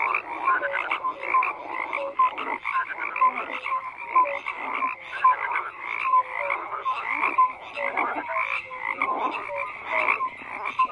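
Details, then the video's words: Frogs croaking together, a chorus of rapid pulsed croaks in bursts, with short bright tonal notes recurring about once a second over a quiet background. "FROGS CROAKING"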